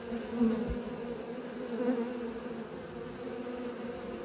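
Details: Young honey bees practising flight produce a continuous low buzz with a clear upper overtone, swelling slightly at moments, over soft steady background noise.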